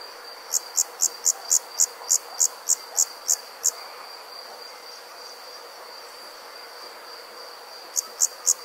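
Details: Insects calling on a summer night in the country: a quick run of ten high chirps, a pause of about four seconds with only a constant shrill drone, then three more chirps.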